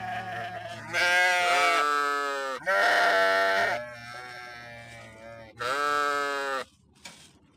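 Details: Several sheep bleat in turn, overlapping calls of differing pitch, some deep and steady, others higher and trembling, in bursts of one to two seconds.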